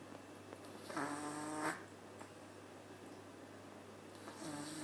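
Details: Maple the cat sleeps at the Nyandoberu cat cafe, giving one full rasping, harmonic snore of under a second, then a pause of quiet room hum before the next snore begins at the end.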